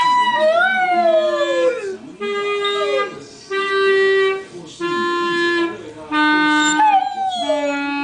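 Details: A ten-year-old Rhodesian Ridgeback joins a clarinet with sliding, falling howls, alternating with held clarinet tones that step between pitches roughly every second, the two voices overlapping throughout.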